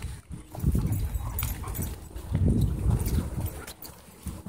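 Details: Dogs playing rough at a dog park, a low, rumbling growl in heavy bursts, swelling twice and fading, with scuffling and outdoor noise behind.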